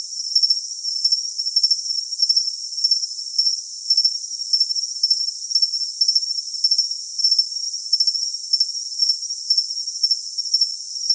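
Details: Cricket chirping for tinnitus masking: a steady high-pitched ringing trill with short pulsed chirps repeating roughly every half second, grouped in bursts, over a constant hiss and with no low sounds at all.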